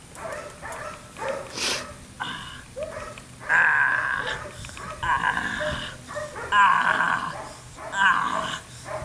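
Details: Six-week-old female Dutch shepherd puppy named Phoebe during her first bite work test, sharp high yapping barks and growly bursts in irregular clusters, with sharp whip cracks and a steady low hum.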